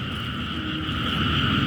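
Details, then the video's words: A dense chorus of frogs and narrow-mouthed toads merges into a steady, droning roar around 3 a.m. just after rain has eased, over standing floodwater beside a natural canal in a Thai town. "เสียงเขียดเสียงอึ่งอ่างก็ร้องระงมเพราะว่าฝนเพิ่งจะซา"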